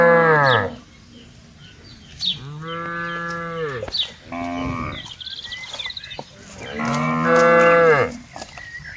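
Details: Cattle herd feeding on grass at morning in an open pasture; a series of four echoing harmonic moos, the second long and steady, the last loud and sustained, with light bird chirping in the background.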